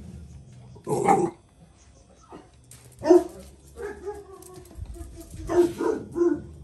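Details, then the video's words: Jack Russell Terrier mother teaching her son a lesson: scattered sharp barks and yelps, one loud burst early, others mixed with rustling, a low rumble and background noise. "JACK RUSSELL PARİS OĞLU OSCAR’A DERS VERİRKEN"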